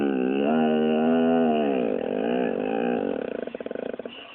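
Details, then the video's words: Pet pit bull 'talking' back while being scolded: a sustained, wavering, moaning vocalization lasting about four seconds that ends in a rapid pulsed grumble, with background music. "funny talking dog pitbull"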